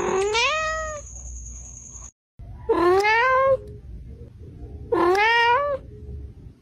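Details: Domestic cat giving three loud, drawn-out meows roughly every two and a half seconds, each rising then falling in a whiny arc, with a brief high electronic tone over the first call.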